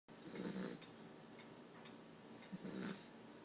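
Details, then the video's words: Black Labrador Retriever puppy fast asleep and worn out after the day, snoring softly: two breathy snores, each a low rumble under a hissing rush of air, about two seconds apart in a quiet room. "Puppy snoring"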